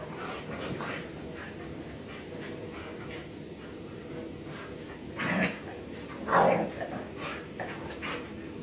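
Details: Three pet dogs, including a puppy, playing together indoors. Steady panting and scuffling give way to a short bark-like burst, then a sharp rising yelp near the end. A woman talks to the dogs.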